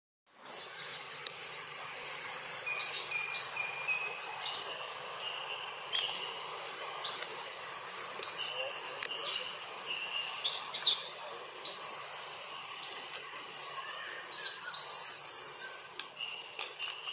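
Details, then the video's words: Jazzy, a monkey, crying loudly because Jane, another monkey, does not come to help: repeated high, thin, arched squealing cries in bursts, over a steady shrill insect drone. "So Loudly Crying JAZZY monkey Coz JANE Monkey Not Come To Help"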